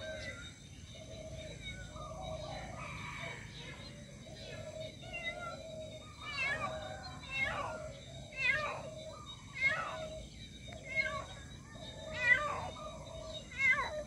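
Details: Mother cat calling for her missing kitten: a run of drawn-out, even meows with a strong tonal core, then louder, sharper cries repeating about every two seconds over a steady background hum.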